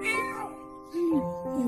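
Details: A kitten in hospital about half a month after a leg amputation meows in answer to a familiar visitor's voice and seems excited to hear her. Two short, falling, tonal meows sound over soft background music.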